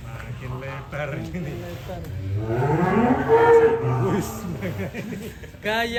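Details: A huge, fattened show cow gives one long, low moo that swells and bends in pitch over about two seconds, with rich stacked harmonics, while people chat nearby in an Indonesian cattle pen.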